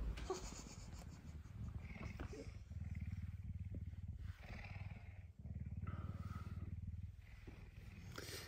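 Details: Pet puma Messi, affectionate and hungry for breakfast early on a Tuesday morning; steady low throbbing purr running almost continuously, briefly breaking midway, with quiet human voices over it.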